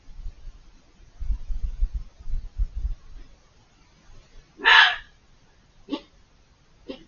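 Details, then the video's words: Screaming fox behind a hedge, out of view: low rumbling noise first, then one loud harsh scream and two short weaker calls trailing after it. "The chilling sound of a fox screaming, just outside of the camera view."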